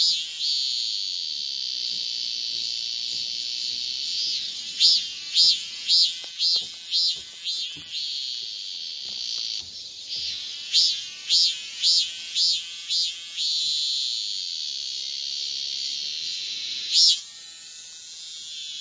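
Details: Shrill, high-pitched calling of a male cicada seeking a female. A constant buzz alternates with runs of pulsed throbbing notes, roughly two per second, with a few faint clicks and a sudden brief burst near the end.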